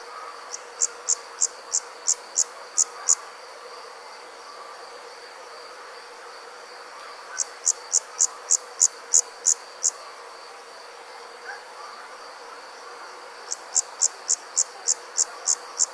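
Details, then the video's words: Crickets chirping at night in three separate bouts of rapid, evenly spaced high chirps, each bout lasting a few seconds, with silent gaps between and a faint steady high whine. "Cricket Sounds - Crickets Chirping at Night"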